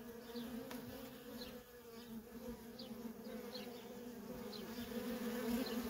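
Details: Steady low buzzing from worker honey bees busily moving at a feral colony grows slightly louder toward the end, with brief high-pitched bird chirps scattered over it.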